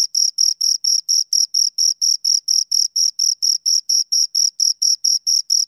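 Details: A pair of crickets sounding a regular, shrill chirp. Short bright pulses come about four to the second, steady in loudness, and nothing else is audible.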